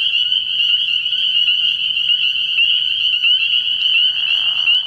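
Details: Early-year night chorus of many spring peepers at a pond, a piercing, even stream of high peeps, with a lower, noisy burst entering in the last second.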